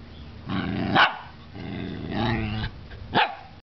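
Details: Wyatt, a pet dog, growls and barks at another dog, Maxie, after she makes a noise. Low rumbling growl with harmonic layers, broken by sharp louder barks near the first, third and final seconds.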